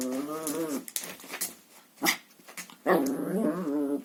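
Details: Chihuahua at play with a hoover's hose indoors: a wavering growl, then knocks and rustling, then another longer rising growl.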